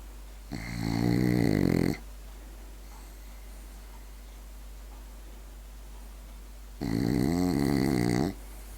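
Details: Two rough, rattling snores from a sleeping French Bulldog, each lasting about a second and a half, separated by roughly five seconds of quiet breathing in a still room.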